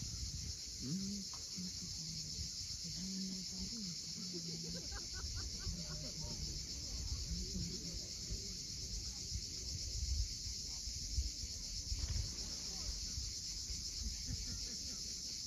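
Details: On the coast of Cape Fiolent in Crimea at sunset, cicadas sustain a constant high-pitched hissing chorus while lower tonal sounds drift in early on and surf rumbles beneath.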